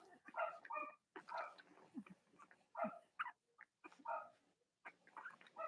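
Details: Indoor Cavalier King Charles Spaniel puppies, litters of mothers Robin and Myra, on a chilly Monday morning before Halloween in the US, let out bursts of nasal whining yelps, grouped in rough pulses about a second apart with brief pauses.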